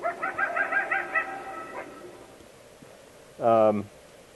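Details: Replay of odd coyote vocalizations that could be confused with something else depending on distance: a rapid series of pulsed, nasal yipping notes fades out. Later comes a short, loud, low buzzy burst.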